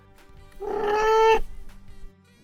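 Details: Cat; trill; greeting; mother cats use it to call kittens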